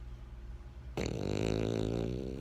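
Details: Pet French Bulldog Benjamin gives a single rough, buzzing snore that begins abruptly after a second of near silence and rattles steadily to the end.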